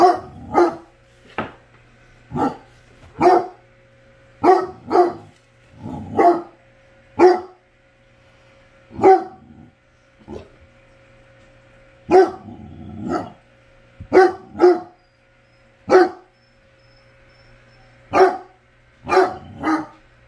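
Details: A basset hound gives a long run of deep, resonant barks, often in pairs or triplets, with short pauses and one longer quiet gap, a faint steady hum beneath.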